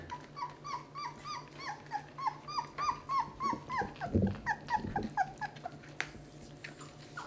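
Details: Litter of eleven 18-day-old Basset Hound puppies at their first feeding as they start a transition mix toward solid food. Rapid, high whimpering squeaks repeat about three times per second over a steady electrical hum, with a brief thin tone near the end.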